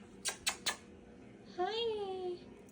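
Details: Pet calico cat greeting its owner after work indoors, giving one short rising-then-falling chirping trill with a bright harmonic tone, preceded by three sharp tapping clicks.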